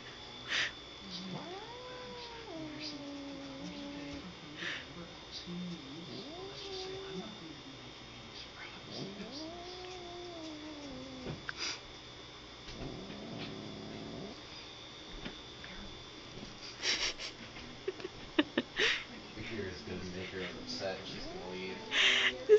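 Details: A female pet cat caught in a bag, irritated by a male cat pestering her, utters several long, sliding, whining yowls, some rising then falling, with bag rustling and clattering between them.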